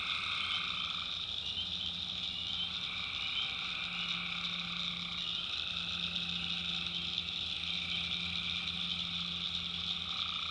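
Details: Nighttime swamp chorus of tree frogs in North Carolina backwoods: continuous high buzzing trills in several layers, a mid-pitched band that starts and stops, and a soft low hum underneath.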